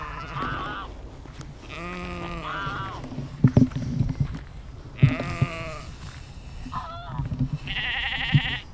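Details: Several sheep in a natural outdoor setting, captured as a spatial field recording with an Insta360 X3 and Zoom H2n. Repeated harmonic, wavering bleats overlap from more than one animal, with low rumbling background noise and a few sharp knocks.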